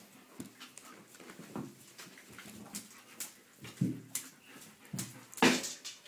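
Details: Seven-week-old red rust Doberman Pinscher puppies from one litter play together in their room, giving short, thin whimpers and yips every second or two, mixed with scuffling, clicking paws and soft panting.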